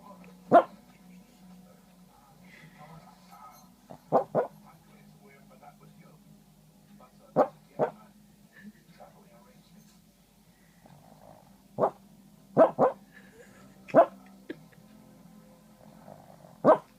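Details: Sleeping little male dog barking, Feb 9, 2014: short muffled woofs and yips, often in pairs, about a dozen over the stretch at irregular intervals, over a constant low hum.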